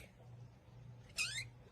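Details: Pet cat named Nerf, asked to give a squeak, answers with one brief, high, thin squeaking meow that rises then falls, over a low steady household hum.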